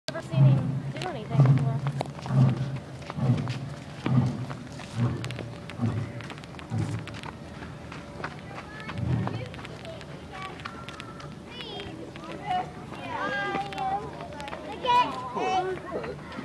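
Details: A lion at a zoo gives deep, rhythmic grunting roars about once a second, with people talking afterward.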